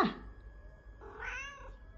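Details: Pet cat answering its owner's talk; a short sound opens the clip, then a clear rising-and-falling meow follows after a brief pause, in a quiet indoor room.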